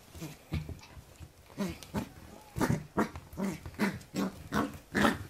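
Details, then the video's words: Pembroke Welsh Corgi puppy playing against a hand indoors, giving a run of short gruff growls and yaps, roughly two or three a second, growing louder and more insistent toward the end. "cute puppy Vs. hand / コーギー子犬 Vs 手 welsh corgi pembroke"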